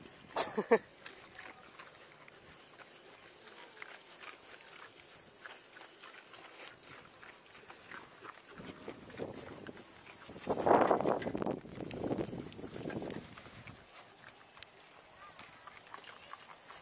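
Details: Hungry little pigs calling outdoors; a sharp squeal at the start, then a quiet stretch before a cluster of loud, harmonic squeals and grunts around the tenth to thirteenth seconds, with soft rustling throughout.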